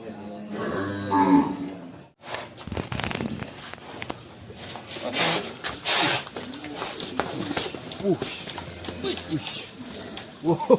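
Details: Huge cattle weighing over one ton being led out of a big pen: a drawn-out, low lowing moo in the first two seconds, followed by people talking and handling noises.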